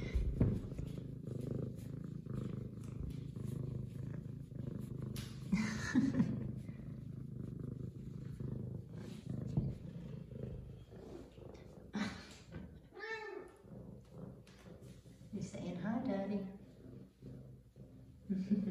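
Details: Zara, an F2 Savannah cat and a sweet girl, purrs steadily and deeply because she missed her owner, with two or three bending meows in the later half and faint household noise.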